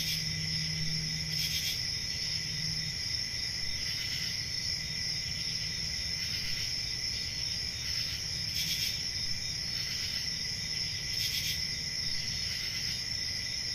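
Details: Crickets call through a peaceful summer night in a rural forest: a continuous high shimmering trill with rhythmic brighter pulses every couple of seconds, plus a brief low hum at the start.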